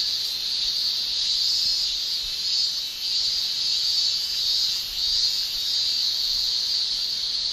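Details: Japanese summer cicadas, males producing tymbal song: a constant sharp, high shrill with soft pulsing swells and two short dips in loudness.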